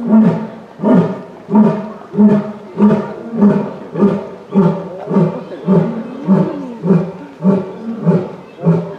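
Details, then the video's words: An Asiatic (Indian) lion at Yokohama Zoorasia zoo, filmed in November 2019, gives a rhythmic series of deep, grunting roars, each about half a second apart. "吼えるインドライオン「バドゥリ」（よこはま動物園ズーラシア） Roaring Lion"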